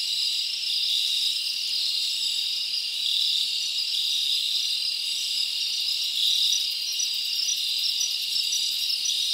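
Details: Night chorus of crickets in a forest in summer, an unbroken shrill trill with layered pulsing tones and slight swells in loudness, nothing else clearly audible.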